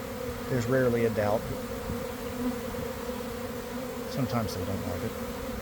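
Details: Honey bee swarm issuing from a garden hive around one in the afternoon, after a week of cold, damp weather. A steady low droning hum fills the air, with a man talking over it in two short bursts.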